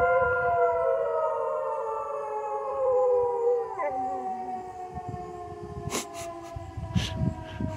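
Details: Freckles, a pet dog who about once a month acts like a howling hound dog, gives a long, sustained, slowly falling howl rich in overtones. Her voice breaks midway, then drops into softer, lower tones, with a few sharp clicks near the end.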